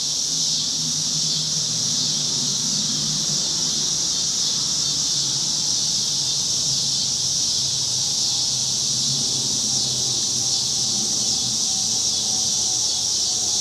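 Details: Summer cicadas on a Chicago street, cloudy August evening, 2010: a dense continuous shrill buzz filling the air without pause, a soft low rumble of distant traffic beneath and a faint thin tone drifting across.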